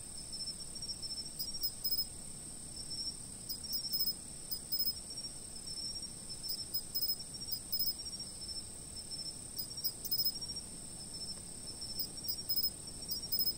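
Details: Continuous thin high-pitched insect trill, joined by repeated short chirp bursts arriving in small groups at uneven intervals over about thirteen seconds. A gentle low rumble sits in the background.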